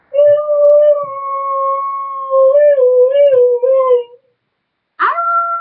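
A Siberian husky gives a long, steady howl that wavers and dips slightly before fading.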